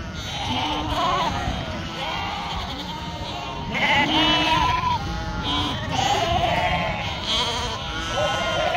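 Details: Sheep raised on a northern Spanish farm, a chorus of tremulous bleats overlapping throughout, short wavering calls arriving about every second at varied pitches.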